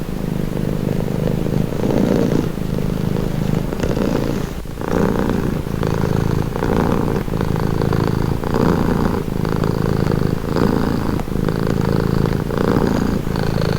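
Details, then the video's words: Calming purr of a pet cat: deep, buzzing rumble rising and falling with each breath, cycles roughly every one to one and a half seconds, recorded close with nothing else audible. "Purring cat | Calming Relaxing Nature Sound"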